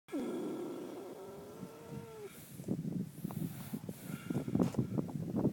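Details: Minxy the horse asleep with twitching lips: a drawn-out tonal groan with a gliding upper note in the first two seconds, then soft, irregular low breathy snorts fluttering through the rest.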